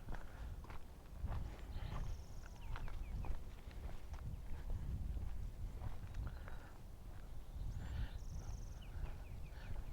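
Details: Irregular, dull clip-clop hoofbeats of a horse on soft ground during horse riding classes at Hahamongna Watershed Park, Pasadena, California, over a low outdoor rumble with a few faint, high bird chirps.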